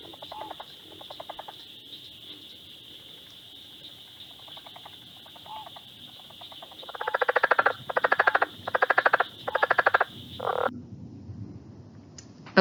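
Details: A southern leopard frog, heard in Ohio only in the southernmost part, gives a series of harsh, guttural clucking bursts over a high, steady chorus; an early-emerging, early-calling species.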